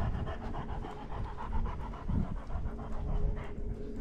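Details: Great Dane female out in a spring forest, exploring and playing; quick rhythmic panting in soft breathy pulses, roughly four per second, over a low background rumble.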